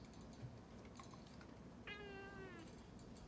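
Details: A pet cat complaining while its claws are clipped gives a single drawn-out, slightly wavering meow after a few soft clicks, with a quiet room hum behind.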